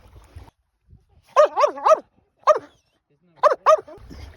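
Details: Fast asleep and dreaming, a Finnish Lapphund lets out a burst of three wavering, yelping whimpers, a single yip, then two more quick whimpers, with quiet breathing between.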